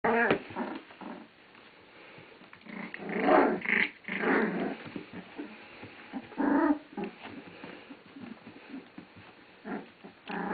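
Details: Puppies on day 17 playing indoors, April 5, 2008: short rough growls and scuffling yips in irregular bursts, with a man's voice narrating and faint music.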